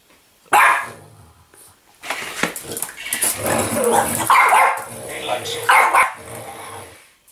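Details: A snorty French Bulldog play fighting an interactive Yoda toy gives one sharp bark, then several seconds of rough, throaty growling and snorting, with toy voice-like sounds mixed in.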